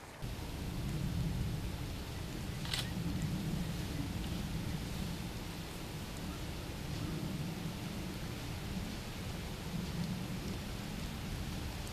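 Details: Steady low rumbling noise like rain or a passing vehicle fills the recording, with one brief sharp click and no animal call.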